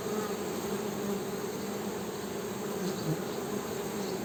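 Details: Short stretch of honey bee humming: a dense, continuous low buzz with slight wavering swells and no other clear sounds.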